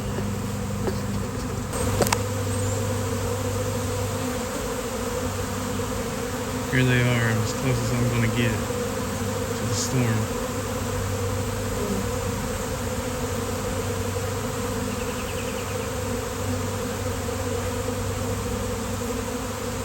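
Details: Massed honeybees swarming on a pleasant day give a constant, deep, layered hum. Short bursts of human voices break in around the middle and faint clicks sound early on.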